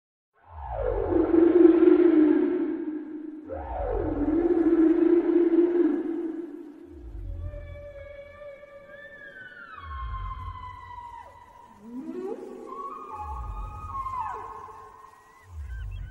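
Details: Whale calls in a relaxing mix: long moaning tones that sweep down, then high whistled glides and bending wails. Soft low thumping pulses repeat about every two seconds beneath them.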